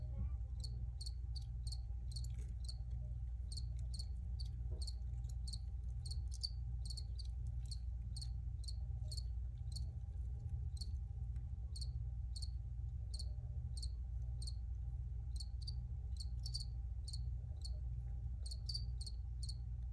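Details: Crickets chirping in a steady series of short high pulses, about 85 per minute and somewhat irregular, with a constant low rumble and faint tone underneath.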